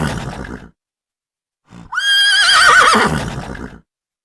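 A horse gives a loud neigh that rises sharply, then wavers and trembles as it fades.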